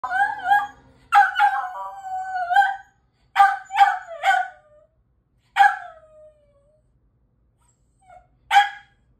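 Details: American Eskimo dog howling, recorded in 2023: bursts of drawn-out, wavering howls broken by short yelps, each phrase sliding down at its end, with silent gaps between and a final brief yelp.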